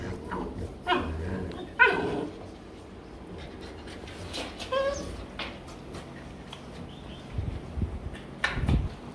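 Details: Rottweiler among several pet dogs during a dog makeup session, giving short, high, whining calls spaced a few seconds apart over low rustling and handling noise.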